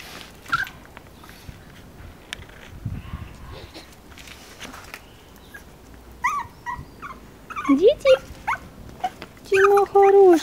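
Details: Chihuahua puppies at a kennel in Moscow or Lobnya: a woman speaks softly and affectionately through much of the recording, then high, tonal whimpers rise and fall near the end, with a louder sustained whine closing the recording.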